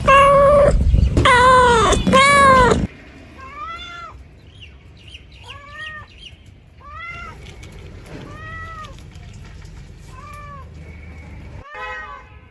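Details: Cat calling from a bamboo tree while looking for food; loud crowded meows at first, then clear separate arched meows roughly every two seconds over faint background hum.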